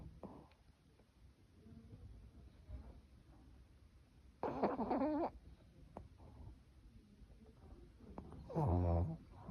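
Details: Choco, a sleeping Yorkshire Terrier puppy, snoring: two rough, raspy snores about four seconds apart in a quiet room, with soft breathing between them.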